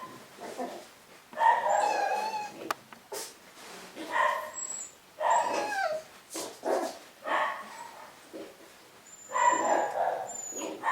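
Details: Litter of Cavapoo puppies producing repeated short whimpers and yappy squeaks, roughly one every second or two, overlapping one another.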